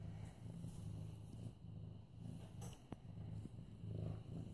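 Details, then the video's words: Purring from Mufasa, a young male medium-hair orange tabby nearly 8 months old, petted at home on September 28, 2015: a deep, even rumble rising and falling with each breath, plus a faint click. "Purring Mufasa"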